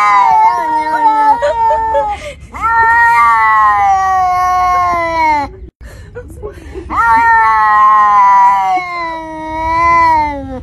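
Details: Noisy unneutered domestic cat yowling in long, drawn-out wavering howls, several sustained cries of two to three seconds each with brief gaps, pitch sliding slowly downward at the end of each cry.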